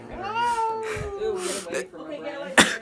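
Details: Pebbles, a female pet cat hiding behind a shower curtain, angry and aggressive toward people after being petted; a drawn-out falling yowl, then a brief harsh burst, with people talking close by in a small room.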